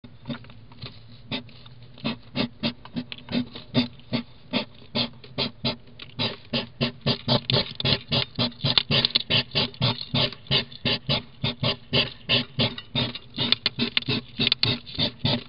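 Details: Female hedgehog huffing and fussing, annoyed as Troy, a submissive three-legged male, arrives at a feeding station; a rapid, steady train of sharp breathy puffs, roughly three to four each second, building in loudness over fifteen seconds.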